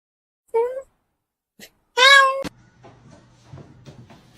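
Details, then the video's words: Cat meowing: a short mid-pitched meow, a brief click, then a longer, louder meow that cuts off sharply, followed by a low steady hum and faint rustling. "funny cats talking"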